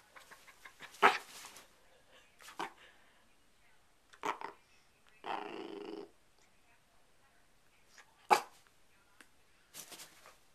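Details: Indoor pet dog Sherlock, sassy on the bed and wanting to get down, lets out scattered barks and a rasping growl-like grumble amid faint room noise and a woman's voice.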